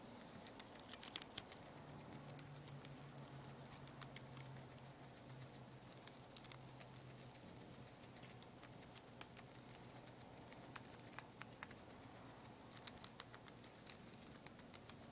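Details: Poporn, a two-month-old guinea pig, eats lettuce with rapid, crisp crunching clicks throughout, over a faint low hum that fades after the first half.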